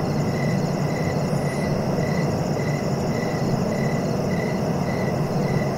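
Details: Cricket giving regular pulsed chirps roughly twice a second, with a steady low rumble throughout.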